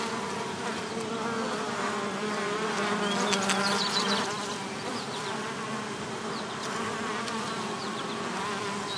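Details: Several bees buzzing around a bee hotel: a continuous loud drone with rich harmonic layers, wavering in pitch as they approach and pass, plus occasional brief high chirps behind.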